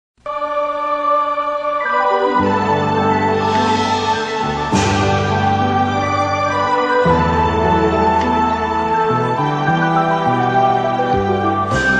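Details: Loud electronic organ music plays throughout with sustained chords and a moving melody, and no animal sound.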